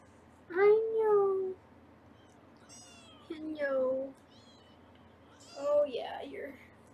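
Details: Foster kittens in Los Angeles meow during weigh-in on a 24/7 kitten cam: a drawn-out, slightly falling mew, then a rise-and-fall cry, a shorter one and high squeaks between, in a small room.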